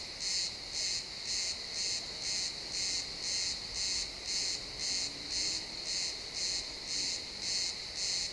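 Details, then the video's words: Crickets chirping in a pine forest at sunset, recorded in XY stereo: high, bright pulses repeated evenly about twice per second throughout, over a faint woodland background. "Cricket sounds in the pine forest"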